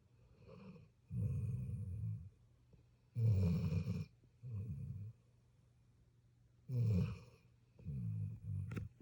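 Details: Puppy snoring in its sleep, long grating breaths in pairs, a louder rasp followed by a softer one, repeating roughly every three seconds in a quiet indoor setting.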